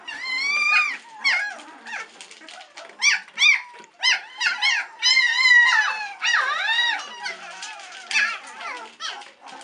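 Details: Three-week-old White Swiss Shepherd puppies, impatient while waiting for their mother Cova to return and feed them, indoors; several high whines and yelps overlap, rising and falling, in short bursts with brief pauses.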